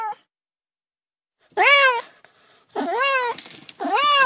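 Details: ['After a silent stretch, a cat lets out three plaintive meows that rise and then fall, the last two close together and slightly rough-edged.']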